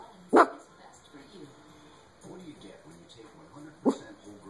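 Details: Pet dog reacting to whistling in television commercials, giving two sharp, loud barks, one near the start and one near the end, over quiet television talk and background sound.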